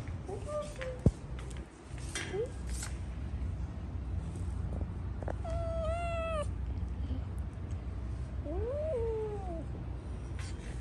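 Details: Indoor light brown triple-coated Persian cats, a male and a female kept as a pair, calling with several meows: short ones early, then a long wavering meow and a final rising-falling one, among brief human speech and a low background hum.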